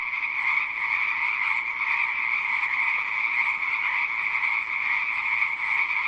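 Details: Frogs in a dense, unbroken chorus of croaking, a steady pulsing drone with a bright upper tone and a lower band beneath it, holding an even level throughout with no other sounds standing out.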